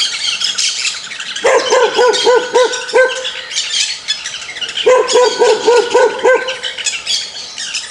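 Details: Angry dog giving two bursts of rapid barks, each opening with a brief held tone and followed by about six quick, evenly spaced yelping barks, set against constant shrill background chatter.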